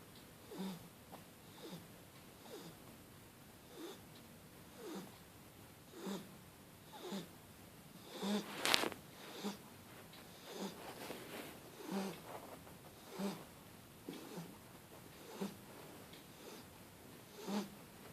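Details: Starbucks, a Shar Pei puppy, snores while asleep on a blanket: soft, uneven breathy snorts roughly every second, with one sharp, louder rasping burst near the middle.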